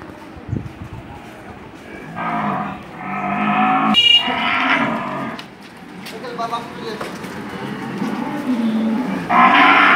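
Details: Dairy cow on a Bangladeshi farm that sells cows, recorded around the sale of two cows to a buyer from Patuakhali: several drawn-out, harmonic moos, each lasting one to two seconds, with a sharp knock and faint background noise between calls.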